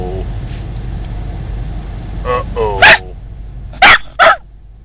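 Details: Scottish Terrier reacting to a person saying "uh-oh", a word it dislikes; a person's voice repeats the word, then the dog gives a whiny rising yelp followed by two short sharp barks.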